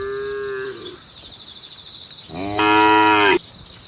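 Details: Cattle on a road calling to the herd: a short, steady lowing note, then after a pause a louder, longer harmonic moo lasting about a second, with faint background hum.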